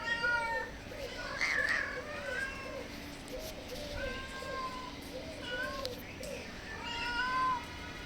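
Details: Hungry stray cats at a house meow softly for food and a safe place; clear drawn-out meows, one bending upward, while a low repeated cooing carries on in the background.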